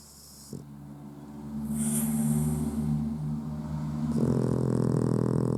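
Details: A sleeping Puggle with its eyes open, snoring: a low, steady droning rumble with layered tones that gradually grows louder, broken near the two-second mark by a brief high hiss.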